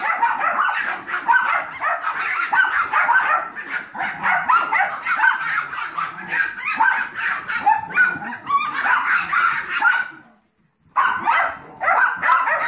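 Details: Seven-week-old Yorkshire Terrier foster puppies, Maddie, Max, Molly, Meldoy and Magenta, with Trouble, a 15-week-old Golden Retriever mix foster puppy. Shrill overlapping yaps and yips run almost nonstop, broken by one brief silence before the barking resumes.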